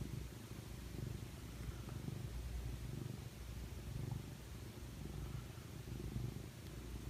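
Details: Bocelli, a pet cat snuggled in someone's arm, gives a deep, even purr, a low rumbling drone beating roughly once a second in gentle swells, with no other clear sounds.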